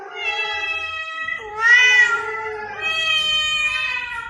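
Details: Cat meowing meant to draw cats out of hiding: a drawn-out, steady-pitched meow that swells louder midway and continues into a second sustained call, rich in harmonics.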